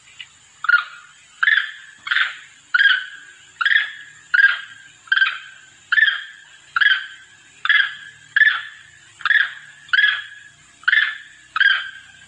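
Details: Lure call of a monkey summoning its companions: a long, even series of rasping, broadband barks repeated roughly every 1.6 seconds, each quickly fading, with a thin constant high-pitched tone throughout.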